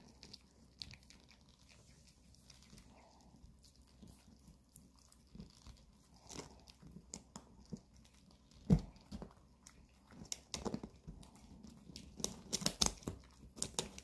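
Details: Two pet dogs, Bomi the Maltese and Coco the long-haired Chihuahua, gnawing dog chews indoors on a weekend: irregular crunchy bites and wet chewing, quiet at first, then louder clustered cracks and scrapes toward the end in a small room.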